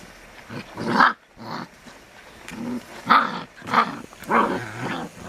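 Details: Caucasian Ovcharka/English Mastiff puppies, around six to seven weeks old, give a run of about five rough, throaty growling yelps with harmonic, bark-like bursts, separated by short pauses.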